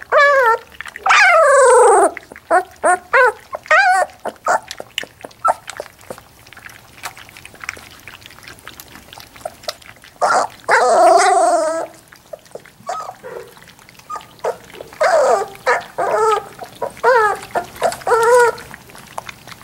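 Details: Three-week-old Labrador Retriever puppies whining and whimpering in bursts of high, wavering cries that rise and fall, broken by short yelps and quiet gaps, with soft shuffling noises between calls indoors.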